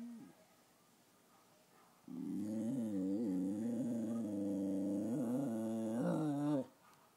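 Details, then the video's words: A miniature American Eskimo Dog gives a long, wavering, moaning howl that rises and dips for several seconds. "Bear making noises"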